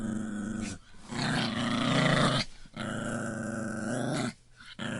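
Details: Puppy growling: low, rough, sustained rumbles in three long bursts separated by short pauses, each lasting over a second, with a gritty buzzing texture throughout.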